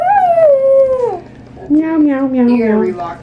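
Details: Toy poodle singing to a person: a falling howl lasting about a second, a brief pause, then a lower, wavering, broken series of vocal sounds.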